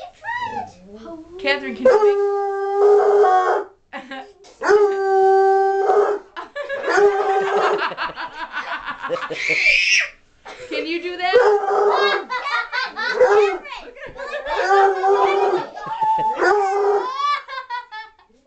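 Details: Redbone Coonhound entertaining kids, howling in sustained level notes early on, then overlapped by lively children's voices, squeals and wavering howl-like sounds throughout.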